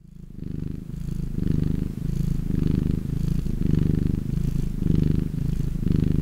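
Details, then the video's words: Domestic cat purring in a relaxed state, a low rumbling drone with steady pulses, the breath cycle swelling and easing roughly once a second, with faint breathy hiss between the rumbles. "Chillest Cat Purrrrrr Everrr...."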